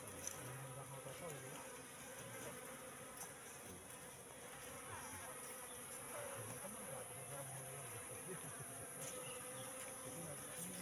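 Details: Wild Asian honey bee (Apis cerana) colony moving into a three-month-old trap box; a steady dense buzzing hum fills the clip, with a faint voice at the start.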